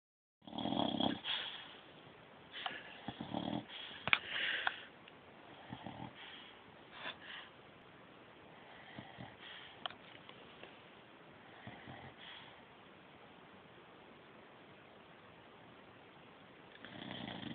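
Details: Puppy snoring indoors: soft wheezy breaths with sniffs and snorts, loudest in the first five seconds, then a quieter steady rasp, with a louder burst near the end.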